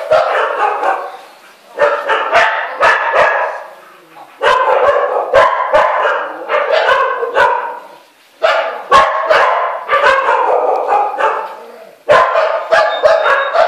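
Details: Frightened Samoyed mix barking steadily in rough, rapid volleys, each run lasting one to three seconds and separated by brief pauses.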